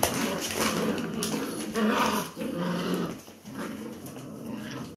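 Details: Labrador Retriever puppies in a group play-fight and tug-of-war over new enrichment, growling indoors: rough, rumbling growls with whiny overtones, held almost continuously and broken by short gaps near the middle and toward the end, with faint voices behind.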